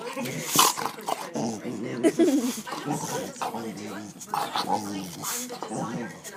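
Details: An excited male dog showing off for the camera, making a run of growly, whining, talk-like vocal noises with rising and falling tones, while a woman speaks to it over the sounds.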